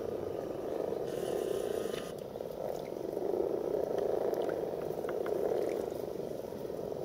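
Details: A dense chorus of common frogs (Rana temporaria) gathered for mass breeding gives many low purring croaks that blend into a steady, rumbling drone.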